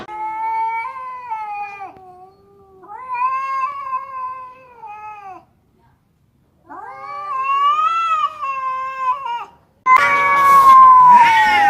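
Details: Cats fighting over territory with clear, sustained yowls lasting two to three seconds each, slightly wavering in pitch, separated by silent pauses, ending in a louder, rougher scream.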